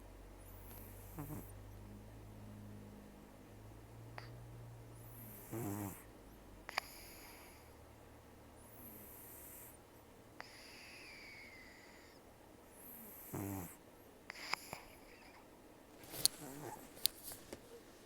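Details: Sleeping rescued cat Taro, about 10–14 years old, taken in October 2024, nearly toothless from periodontal disease and long outdoor life, with very rough snoring and nasal breathing: raspy breathy snores roughly every four seconds over a low steady hum, with occasional faint clicks.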